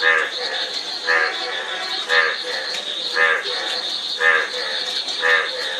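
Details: Regular, evenly spaced frog croaks, nasal and buzzy, come about once a second, while a loud, unbroken insect whine holds high above and weaker croaks murmur between.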